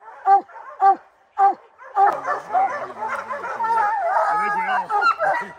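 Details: On opening day of the July 2024 black bear training season, Rocky's hound barks come in three sharp separate blasts, then blur into continuous overlapping barking mixed with a man's speaking voice.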